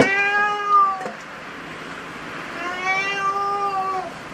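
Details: Domestic cats in a cat cafe: two long, level harmonic meows, one at the start and one near three seconds, each about a second long, over a steady low room hum.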